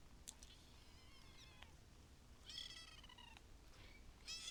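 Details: A gathering of cute kittens, meowing in a string of high, thin, harmonic cries. Some calls bend downward and some overlap, with five or so in under five seconds over a low background hum.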